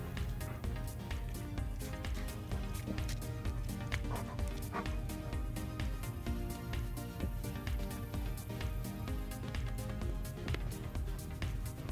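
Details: Steady instrumental music with a regular driving beat and dense low tones throughout; no animal voice stands out.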